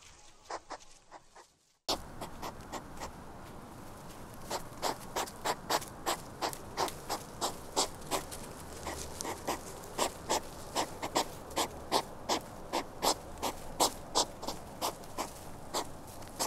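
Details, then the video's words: A hedgehog snuffling and puffing in quick rhythmic bursts, close to three short breathy pulses a second, continuing evenly for a long stretch against low background noise after a brief quieter opening. "HEDGEHOG SOUNDS"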